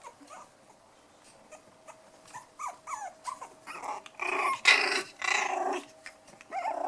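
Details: Four playing toy poodle puppies, five weeks old, black and white, giving short high yelps and squeaks in bursts, growing louder and harsher with growly rough-and-tumble noise in the second half.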